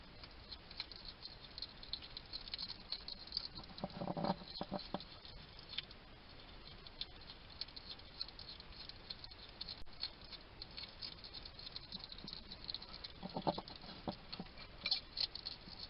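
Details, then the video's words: A wild UK hedgehog chatters to itself as it eats at a garden feeding station in Somerset; two loud bursts of crunching and smacking separated by quieter scattered clicks, with steady hiss underneath. "Ever wonder what a hedgehog sounds like? This little guy chatting to himself while he eats."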